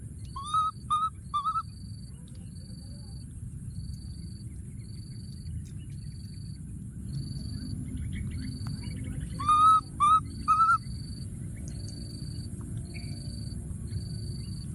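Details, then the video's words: Baby monkey hiding in a thorny tree, calling for his friend: two bursts of high, wavering whistled cries, three then several quick notes, separated by long quiet gaps over a steady pulsing insect buzz and low rumbling background. "baby monkey, hiding in a thorny tree and continuing to call for his friend"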